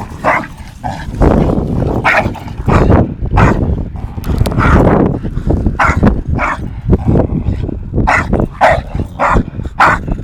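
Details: Two dogs play-fighting, Tyson an 8-month-old Staffordshire Bull Terrier and Viper a 2.5-year-old English Bulldog; dense bursts of short gruff barks and growls with scuffling and heavy low rumble throughout.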